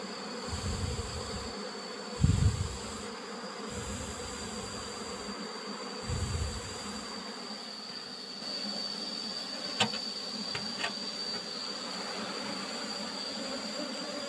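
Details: Asian honey bee (Apis cerana) colony being harvested for honey from an old-style box hive with a used asbestos-sheet lid: continuous low buzzing hum, interrupted early by several dull handling thumps and later by a few sharp clicks.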